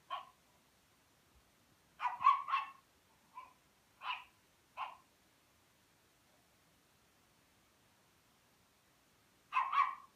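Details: Rhodesian Ridgeback puppy playing with a Pekingese, giving short high yappy barks in bursts of two or three, with long quiet gaps between them and nothing else heard.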